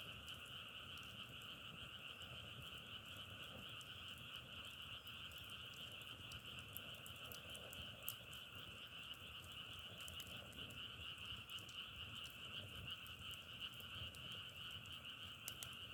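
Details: Frogs croak en masse, their overlapping calls merging into a steady, sustained high-pitched drone with light crackling pops scattered across the recording.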